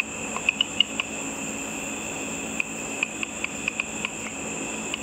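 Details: Bats hunting insects over a lit pool after dark, picked up through a simple ultrasonic frequency-divider bat detector: sharp, dry clicks in irregular bursts, sometimes in quick pairs, over a steady electronic hum.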